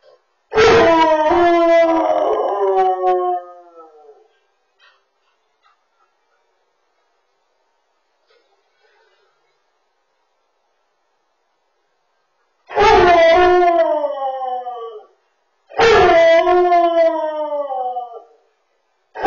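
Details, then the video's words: Male Samoyed crying after his owner leaves for work, giving three loud, drawn-out howls, each wavering then sliding downward and fading over two to three seconds, separated by long silences. "Samoyed Can't Stop Crying After His Human Goes to Work"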